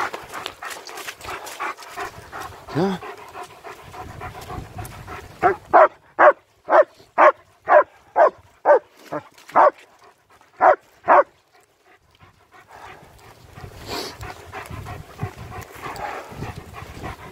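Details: One of two German Shepherds, Nico and Zeeva, walking in winter around Hawick, Scotland, barks a run of about eleven evenly spaced barks, roughly two per second, with panting, rustling and background noise before and after.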